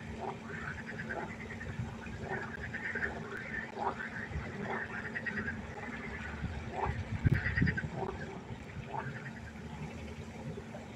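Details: Night-time frog concert at a pond, with short rasping croaks repeated in loose, uneven series over a low, continuous rumble and a brief louder burst midway.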